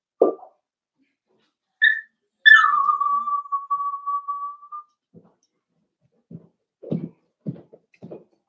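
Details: Four-week-old Cavalier King Charles Spaniel puppies from Daisy's litter, in their pen on a livestream puppy cam: one long, steady, high whine that holds its pitch for about two seconds, followed by soft scattered thumps and shuffling.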